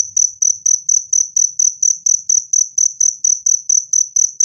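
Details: Cricket used as a rat-repelling sound, also suggested as therapy for stressed cage birds: evenly spaced, bright, high-pitched chirps, roughly two each second, loud and clean throughout.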